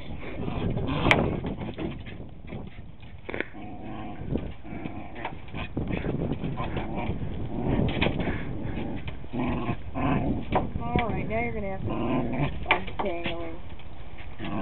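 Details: Long-haired four-year-old male Shiba Inu on a leash at a house, tugging, then tangled and angry. Rough, continuous growling and grumbling, rising into wavering, whiny, yodel-like cries in the last few seconds.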